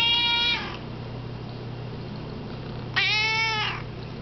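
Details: Cat giving two clear, drawn-out meows, each under a second long, with the second one falling slightly at the end, separated by a two-second pause over a steady low hum.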